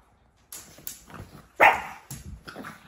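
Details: Four-month-old pug puppy at play: one loud, abrupt bark in the middle, surrounded by quieter yips, snuffles and light knocking sounds.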